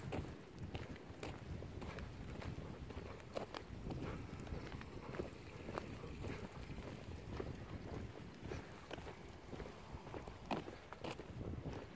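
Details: Wind buffeting the microphone and scattered footstep-like thumps during an outdoor walk, with no animal voice heard.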